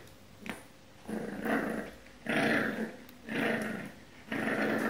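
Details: Puppy growling while trying to reclaim its bed from a cat indoors; four drawn-out, rough growls, each about a second long, separated by short pauses, with faint room noise between them.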